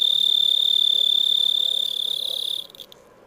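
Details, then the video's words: High, even cricket trill ringing steadily for about two and a half seconds, then fading and breaking into a few faint scattered pulses before dying away. "Cricket sound ( Insect ) | Chirping Cricket"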